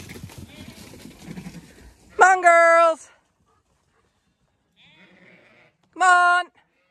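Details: Zwartbles ewes on a regenerative farm in County Kilkenny, Ireland, herded along a laneway on weaning day; two loud harmonic bleats, the second shorter, follow rustling and a man calling the flock and a dog.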